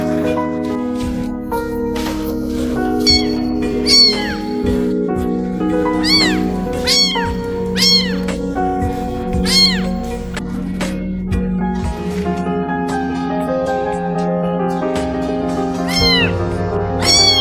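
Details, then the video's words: Stray newborn kitten, only a few days old, found by a trash can and crying loudly. Seven high, arching meows come at irregular gaps, each rising then falling, over steady background music and occasional speech. "El gatito seguía maullando ruidosamente."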